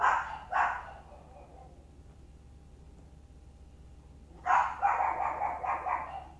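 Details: Chihuahuas, a family of parent dogs and a pup, playing: two quick yappy barks, a pause of a few seconds, then a burst of rapid excited barking and growly yaps.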